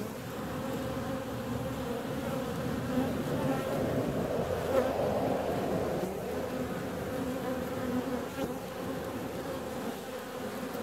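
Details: Bees leaving to fly on a warm February day: an even, droning buzz that grows louder around the middle as bees pass near, then settles back to a steady hum.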